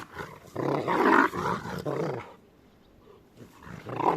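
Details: Two Rottweilers at play give rough, harmonic growls and grumbles in a run of bursts over about two seconds. A pause follows, then one more short growl near the end.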